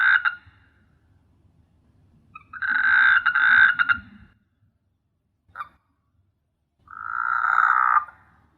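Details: Frogs calling at night on S.Hulhumeedhoo island in the Maldives, an island teeming with frogs: loud droning, buzzy croaks of about a second, some short and clipped, in uneven bursts separated by quiet gaps.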